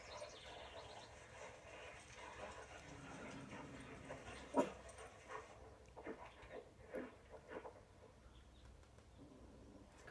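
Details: Toy Poodle whimpering while watching dogs on TV: soft, drawn-out whining tones early on, a sharp bark-like burst near the middle, then several short yelps and whines over steady background television noise.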